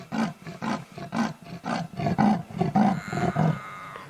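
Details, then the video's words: A wild female leopard in Sabi Sand, South Africa, gives a territorial call at sunset, calling louder because her male cub has not answered her soft contact calls. The call is a rasping, sawing series of about eight deep, hoarse strokes roughly every half second. "So that is her territorial call."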